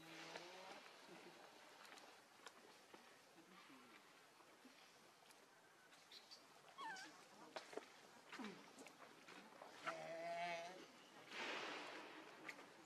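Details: Baby monkey Lucie, very hungry for milk, crying: scattered wavering squeals, then one sustained, quavering high wail around ten seconds and a broad noisy burst after it, with background voices and rustling.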